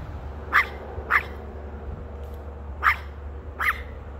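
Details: A female dog barks, unhappy about something a man has in his hand. Four short, sharp barks come in two spaced pairs over four seconds, with a steady low hum behind.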